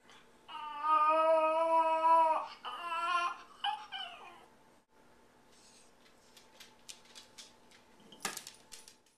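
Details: A Yorkshire Terrier puppy, recorded alone while everyone was gone, gives a long, wavering, high-pitched howl, then shorter whimpering howls, howling because he misses his owner.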